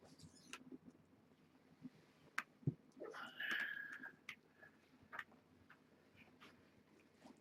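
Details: Young kittens from a litter born June 21 to a rescued stray at Purrfect Pals, handled during a weight check on 7-26; one thin, high mew with faint harmonics sounds once amid handling clicks and rustling in a small room.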